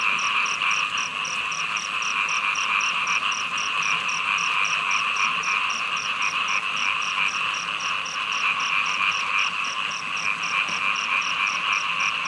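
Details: Small frogs calling during heavy rain: a dense, unbroken chorus of overlapping croaking voices forms a steady drone, topped by a thin, high clicking note repeated about three times per second throughout, over a constant background hiss.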